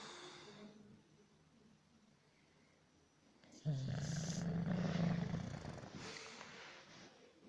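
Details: English bulldog asleep: soft breathing, then a loud, low, buzzing snore lasting about two and a half seconds, trailing off into lighter breaths.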